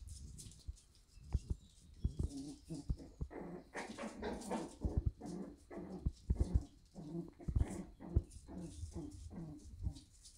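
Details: Shiba Inu puppies in the morning at a breeder in the Netherlands; low grumbling, whimpering and yelping bursts, irregular and overlapping, with rustling and knocks of movement throughout.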